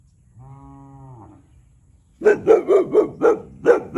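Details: A 1-year-old Boxer dog barks territorially at a neighbouring cow, giving a quick run of deep, rough barks, about four a second, after the cow's brief low moo.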